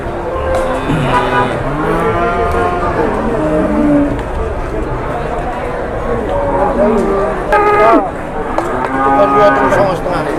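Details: Jumbo cattle being taken around for sale, several drawn-out harmonic moos overlapping one another, with a louder, rising bellow near the eighth second over a steady background murmur.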